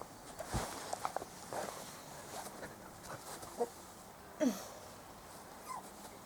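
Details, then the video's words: Four-week-old Spanish Water Dog puppies from Trella's litter on their first day out in the garden; a short falling whine sweeps downward amid soft thumps, footsteps and a woman's voice talking to the dogs. "Spanish Water Dog Puppies 2013 - First Day Out"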